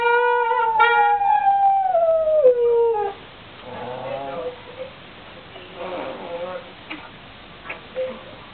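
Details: Pet dog howling along to a horn: one long tonal howl slides smoothly downward over about three seconds, followed by quieter scattered yelps and whines over faint background sound.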